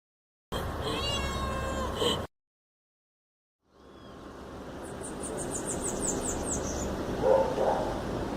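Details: A two-year-old male black-and-white domestic cat gives a run of wavering meows, calling for the attention of his mother, a tuxedo cat.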